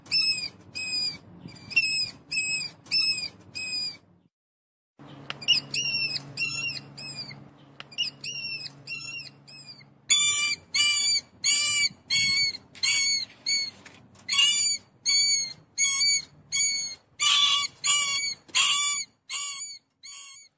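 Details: A mouse gives a long steady series of thin, high, ringing squeaks, about twenty in all, evenly pulsed with one brief pause near the start, over a soft low hum.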